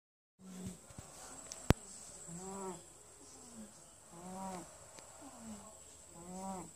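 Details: Winston, a pet cat, snoring while asleep: three drawn-out, buzzy, harmonic snores about two seconds apart, each rising slightly then settling, over a steady high electrical hiss and one sharp click.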